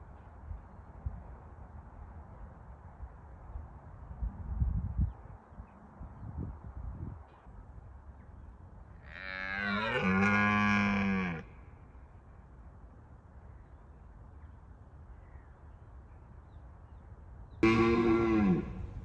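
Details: Wild red deer stag in Bushy Park during the rutting season, roaring to deter rivals: one deep, harmonic bellow lasting about two seconds, then a second roar starting near the end, over steady low background rumble.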